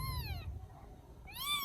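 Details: Rescued baby kitten in Vietnam, settling to sleep at bedtime, gives two clear high meows, the first sliding downward, the second arching up and falling, separated by a quiet pause with low background rumble.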